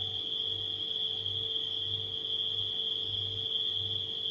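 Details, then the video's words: Crickets at night keep up a continuous shrill trill at one unchanging pitch, while a refrigerator drones underneath with a low, throbbing hum that swells and fades every second or so. "Crickets & Refrigerator Humming Sound"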